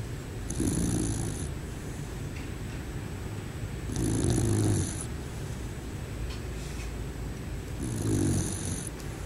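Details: Sleeping bear snoring: three slow, rasping low breaths spaced about four seconds apart, each with a faint high hiss, over a steady low background hum.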